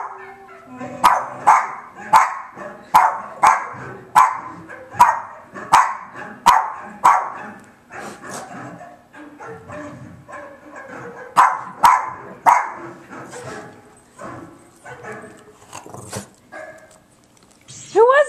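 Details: Pet Boston Terrier Patsy Cline barks as if auditioning for a VW commercial: a rapid string of evenly spaced barks, a quieter pause, another run of barks, then a human voice at the close.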